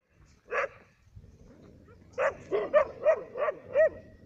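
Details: Labradors and a hunting dog in Cyprus in winter: one sharp bark, a short pause, then a quick run of five or six loud barks, roughly three per second, over a low background hum.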